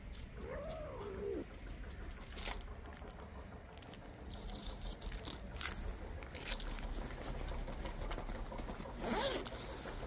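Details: Mother street cat leading the way to her hidden kittens, meowing as if urging someone to follow: one clear arched meow, rising then falling, early on, then rustling, scraping and soft outdoor noise.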